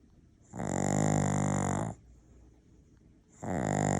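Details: Maltese-Shih Tzu cross dog snoring loudly while asleep: a long, harsh, rattling snore, a quiet gap, then the next snore starting, each with a grating buzz and breathy hiss.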